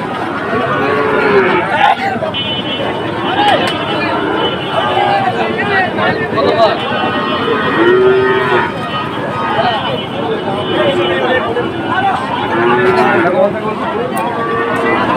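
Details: Sahiwal bull calves at Amabari cattle market on 2 October, where a Sylhet farmer bought them; deep, drawn-out bellowing moos, one swelling clearly near the middle, over constant crowd talk and market bustle.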